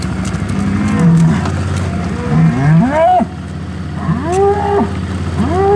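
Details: Hereford bulls and cows at the 2017 breeding-season turnout, when bulls join their breeding groups. Short low moos give way to louder, rising and falling bellows, with a constant low engine-like hum behind.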